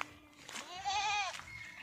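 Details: Goat at a farm in Dergaon, Golaghat, Assam, that keeps Beetal and Barbary goats: one wavering, nasal bleat of about half a second, rich in stacked harmonics, set against faint background noise.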